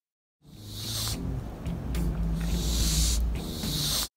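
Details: Cat. A domestic cat gives several harsh, airy hisses, each a burst of rushing breath lasting under a second. A frightened cat hisses like this to scare something away, over a steady low hum in the background.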